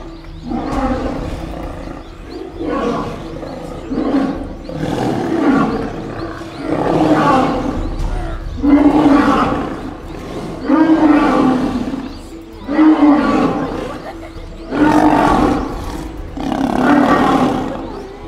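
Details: Wild lions in mating season, two males fighting over a lioness; deep, grunting roars repeated in rhythmic bursts about every two seconds, each a rough, throaty heave rising and falling in loudness, with a steady low hum beneath.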